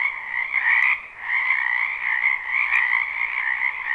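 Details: Spring wetland frogs calling together in a live recording: a steady wall of overlapping trilled croaks, briefly dipping in loudness near the one-second mark before swelling again, with a couple of faint clicks.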